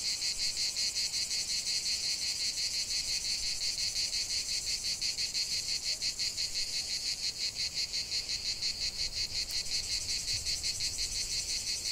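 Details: Cicadas calling in a natural setting, an unbroken high metallic buzz with rapid even throbbing, roughly three pulses each second, sustained for the whole stretch.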